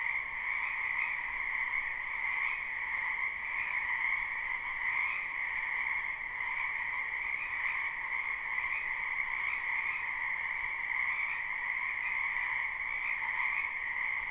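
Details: Croaking frogs in a spring wetland behind a home, captured live: an unbroken dense chorus of shrill overlapping trills sustained throughout, faint swells every few seconds, no other noises.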